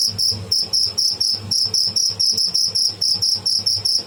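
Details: Shrill chirping from a live tidda, the cricket, delivered as quick, evenly spaced high pulses over a few seconds.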